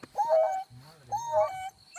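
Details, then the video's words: Wild dogs howling: two short, tonal, gently wavering cries with clear overtones, each lasting about half a second, separated by a quieter low hum. "WILD DOGS AULLANDO"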